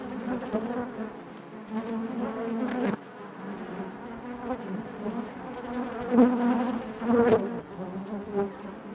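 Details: Honey bee colony in its hive giving a full, layered drone, loudness surging and easing, with a few brief crackles and a sudden dip in the hum partway through.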